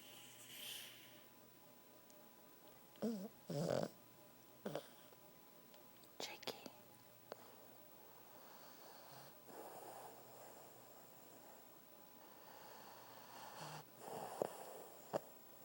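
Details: Jake, a six-year-old Pug, snoring while asleep indoors: soft, breathy, snorting rasps return roughly every three to four seconds, the longer ones swelling and fading, with quiet room hush between breaths.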